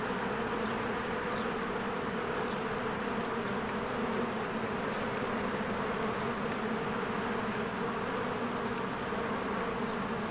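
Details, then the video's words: Busy honeybees at their hive in spring fill the air with an unbroken, thick humming buzz that stays steady in pitch and loudness throughout. "1 Hour of a Beehive ASMR | A Spring Nature Ambience Sounds"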